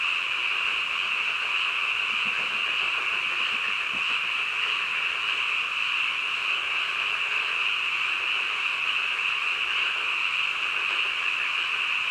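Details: Midnight frog chorus: many frogs calling together as one continuous shrill drone with an even level and no breaks. A few faint low knocks sound beneath it.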